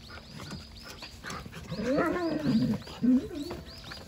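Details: Jindo dog named Wanggeom, paying no attention to a rattle toy, gives a drawn-out wavering whine with a rising then falling pitch, followed by a short higher note, while small birds chirp repeatedly in the background.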